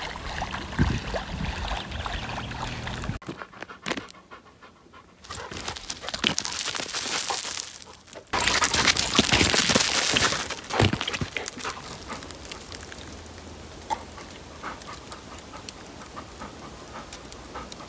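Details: Cedric, a Labrador Retriever, on an outing to the Sylvenstein reservoir in Bavaria, pants rapidly and steadily, about three breaths per second, with bursts of louder rushing noise midway and outdoor background.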